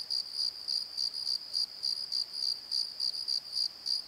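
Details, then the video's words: Crickets calling at night in a valley bottom, a steady high chirping in short pulsed bursts repeated several times a second over a continuous background trill. "Crickets and Croaks! Pozo Night Tree"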